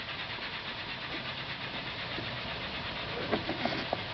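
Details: Loud, massed insect noise from cicadas in the Ulumay Park Wildlife Sanctuary mangroves, Merritt Island, recorded 17 July 2011 while kayaking. A rapid, chugging, steam-engine-like pulsing fills the air, with a few soft knocks near the end.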